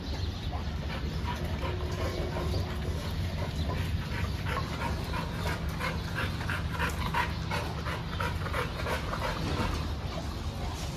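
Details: Dog at a dog training school and hostel in Jodhpur, giving a quick run of short, sharp barks and yips in the second half, over a steady low background hum.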